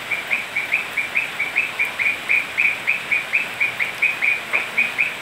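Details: Rainy night in Peru's Manu National Park, Cusco, with toads croaking: brief high pulses, roughly three per second and evenly spaced, set against steady rainfall noise.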